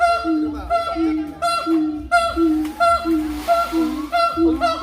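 Siamang giving loud, nasal, rich-toned hoots repeated in a steady series, with a faint voice and music behind.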